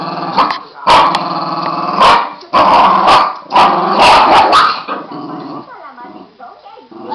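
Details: Two Border Terriers playing together; rough, rumbling growls in bursts of one to two seconds, with snarly yaps, fading into softer whining grumbles at the end.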